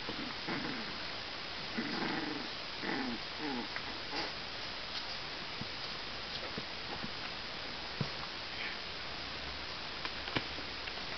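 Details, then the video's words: Three Cavalier King Charles Spaniel puppies, Tia, Poppy and Lilly, 35 days old, at play: a burst of short, low, harmonic growling yips in the first four seconds, then soft scuffling, clicks and ticking sounds. "Cavalier King Charles Pups 35 days old playing"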